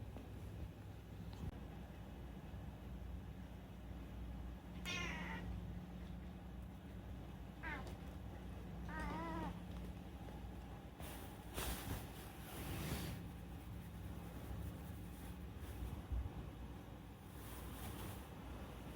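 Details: Chatty rescued house cat Unagi-kun meows three times in quick succession, wavering and nasal. Loud clattering noise follows, then a steady low indoor hum.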